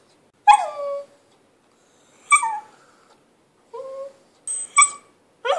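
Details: Lhasa Apso kept as a pet, vocalising in a bid for play while its owner films. Sharp yipping onsets slide into falling whines, about five separate bursts spaced over a few seconds, each tonal and bright.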